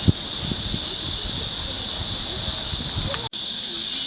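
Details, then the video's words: Summer cicada chorus at Mujinjeong on 2 August 2021 near 1 pm, an unbroken shrill buzzing wash held at even loudness, with one brief dropout and light background rumble. "시원한 매미소리"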